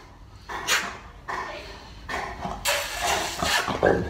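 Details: Boerboel named Molly, a big older dog, play fighting indoors with her owner; short bursts of dog vocal sound about every second, mixed with a person's voice in a small room.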